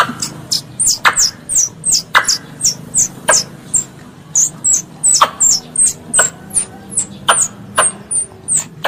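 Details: A pest squirrel calls for its mother with a continuous series of thin, very high chirps that drop quickly in pitch, roughly two to three per second, punctuated by several sharp clicking snaps and a low background hum.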